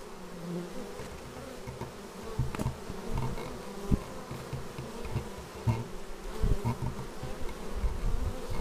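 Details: Bees flying in to their hive, filmed raw with a Xiaomi Yi action camera: a continuous layered drone that rises and dips as individuals pass close, with scattered taps and thuds.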